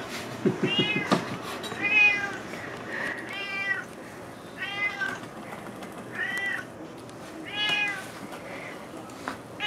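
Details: Indoor cat Juniper begging for salmon he has smelled, calling insistently; five or six drawn-out harmonic meows in quick succession, some rising then falling, plus a short burst of speech and kitchen clatter at the start.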